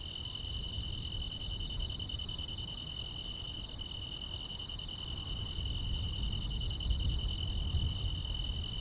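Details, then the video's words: Grass insects sing on a summer night, a sustained bright trill paired with a second layer of quick, very high ticks repeating nearly four times a second, above a growing low rumble. "여름밤의 포근한 풀벌레 소리"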